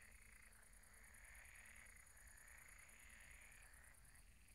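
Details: Frogs croaking at a pond at night, a dense chorus of overlapping rasping croaks in bands, with a steady high insect-like trill and a low rumble underneath.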